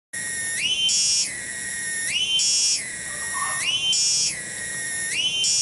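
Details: A single loud cicada (tonggeret) in a village garden at Kampung Bunder, Cibening, Bungursari. It gives a continuous high, buzzy, ringing drone that shifts upward into a brighter phase and back again, roughly every 1.5 to 2 seconds. A faint low whistle sounds midway.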